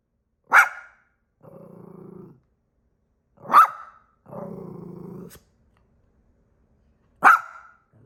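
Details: Pebbles, a dog, practicing barking and growling: three sharp single barks roughly three seconds apart, each followed by a low rough growl lasting about a second, in a quiet room.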